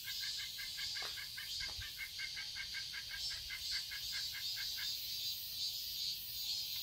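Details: Cicadas buzz high and continuously over a summer garden in Seoul, Korea, while a bird adds a quick run of sharp, evenly spaced chips for about four seconds.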